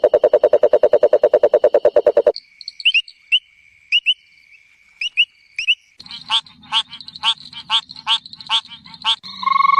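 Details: Frog calls for relaxation: a fast, regular run of low pulsed croaks, then short high chirps in pairs and small groups, ending with loud pulsed notes repeated about twice a second.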